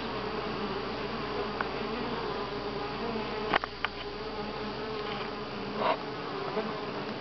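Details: Steady humming of a crowd of honey bees at Grass Lake Sanctuary, week six, July 25, 2011, broken by a few sharp clicks and knocks around the middle and near the end.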